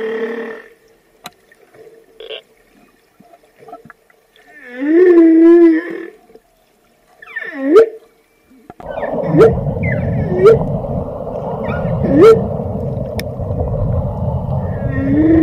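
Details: Whale producing wavering, harmonic-rich moans and sharp upswept whoops, first over quiet water, then against a dense rushing underwater noise bed with occasional clicks.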